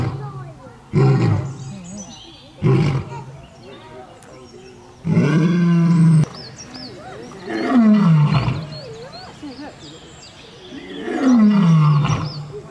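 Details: Series of lion roars from the African savanna: two short, sharp bursts, then three long, deep roars that drop in pitch, the last ones coming about every four seconds.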